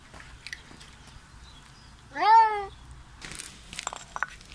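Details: Bengal kitten visiting a home, vocalizing while eating: a single short meow that rises then falls, followed by crunchy chewing and clicking sounds.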